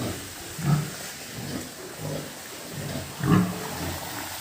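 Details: Pig on a farm with breeding sows, two deep rough grunts standing out, one early and one near the end, with softer low grunting between over a steady background hiss.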